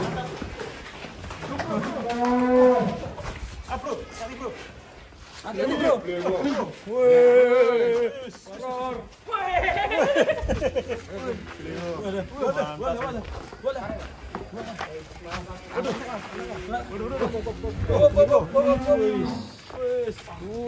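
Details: Large fattened cattle in Indonesia lowing: several drawn-out, harmonic moos with falling and wavering pitch, mixed with people talking throughout and background chatter.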